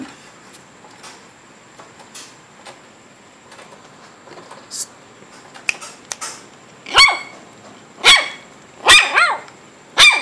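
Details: Shih Tzu puppies almost 8 weeks old, indoors. After six quiet seconds, four high, sharp yelps follow about a second apart. Each is bright, with ringing overtones and a pitch that arcs up and then falls. One doubled yelp sits near the end.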